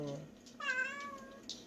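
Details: Bomi, a rescued cat praised for her lovely voice at a one-person shelter in a rural island village, lets out one smooth, sustained meow after a brief low murmur, ending with a soft breathy noise.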